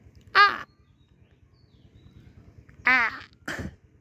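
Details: Pregnant Black Bengal goat named Jomela, a household's first goat, recorded 16 April 2025; two loud, quavering, wavering bleats about two and a half seconds apart, then a short harsh burst, over a low rumbling background.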